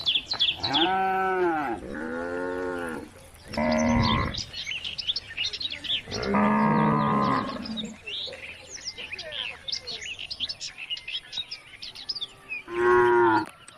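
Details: Cows on country roads calling the herd home to the barn give several long, rich moos, some falling in pitch, separated by short pauses, over a steady chorus of twittering birds.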